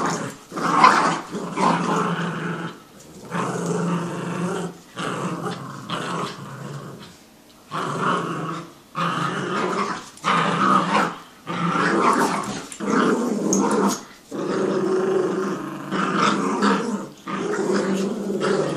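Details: Indoors a Jack Russell and a Yorkie tug at a toy, growling in repeated rasping bursts of one to two seconds separated by short gaps, roughly forty per minute, intensity varying as they pull.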